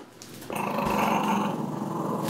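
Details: Puppy named Sonny growling indoors while playing tug with his dolphin pillow toy; a sustained rough, rumbling growl starting after half a second and holding steady, a person saying "give me that".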